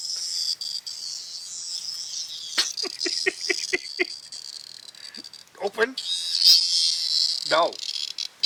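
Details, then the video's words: Cicada held in pet dog Peggy's mouth keeps up a steady, high, sizzling buzz throughout, broken by a person's short commands such as "no" and "drop it". "Peggy has a Cicada Bug in her mouth"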